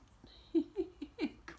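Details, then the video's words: Coton de Tulear puppies almost four weeks old, playing and biting in their pen while their mother looks on; a run of short, high squeaky yips, four or five quick bursts within a second and a half. "Young Coton Puppies Play & Bite!"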